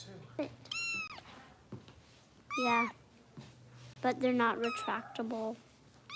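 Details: Bottle-fed foster kitten with kitten rescue volunteers in Los Angeles, indoors: short high-pitched mews, one early, one mid-clip, then a cluster of squeaky cries near the end, interleaved with human speech and a steady low hum.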